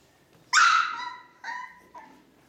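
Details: Ca de Bou puppies, four weeks old, kept indoors: one loud high squealing yelp with rich harmonics, followed by two shorter fainter whimpering cries in quick succession.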